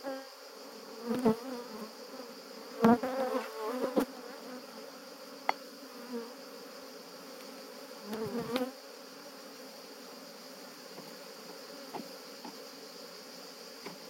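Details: Honey bees defending their hive while honey is collected in Jouques, Provence, France, 17 July 2017; a steady low hum with rising swells, punctuated by occasional sharp clicks and knocks from handling the hive.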